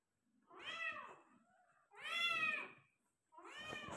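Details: Meows of a Persian cat giving birth to five kittens: three loud, strained, arching cries in close succession, each about a second long and full of stacked overtones. A faint low murmur sits between them.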